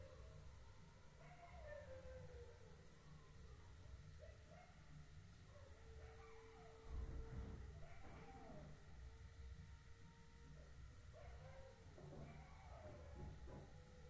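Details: Wild canids, fox or jackal, barking at night in the jungle, give wavering, wailing howls that rise and fall over a low night rumble.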